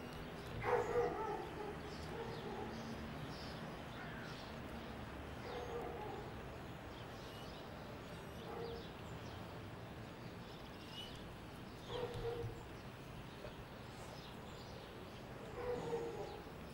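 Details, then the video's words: Basset Hound out on a walk, giving short, tonal baying calls at irregular spacing, four or five in the stretch, with soft outdoor background noise between them. "Basset Hound(Promenade)"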